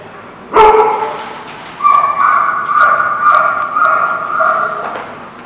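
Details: Dog recorded on December 30, 2016: one sharp, loud bark, then after a second a long, drawn-out tonal howl that wavers slightly in pitch and lasts about three seconds before fading.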